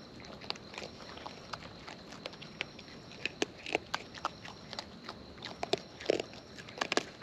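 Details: Close-up chewing of wild raccoons while they eat: scattered crisp cracks and smacking bites, sparse at first and growing quicker and louder after six seconds, against a faint hiss.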